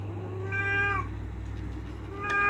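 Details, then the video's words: Indoors, an angry domestic cat wanting a door opened gives one clear, level meow lasting about half a second, then starts a second meow near the end, over a constant low hum. "KUCING LUCU😻 marah marah minta di bukakan pintu"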